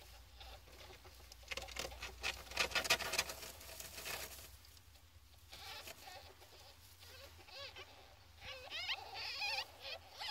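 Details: Fourteen-day-old ferret kits: rustling and patter of movement first, then a run of high, quavering squeaks in the second half, repeated rapidly and unevenly, with a low hum underneath.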